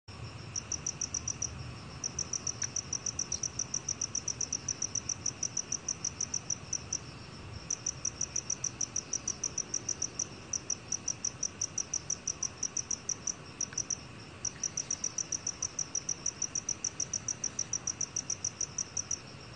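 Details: Black field cricket singing: a long series of short, high, evenly spaced chirping pulses, about three to four per second, broken by brief pauses near two, seven and fourteen seconds, over a faint low background hiss.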